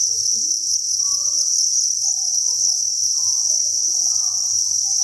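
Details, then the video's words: Dense chirping of many farmed crickets in a breeding facility, a steady high buzzing trill running without pause, over faint low hum and soft murmuring sounds. "Cricket Chirping Sound"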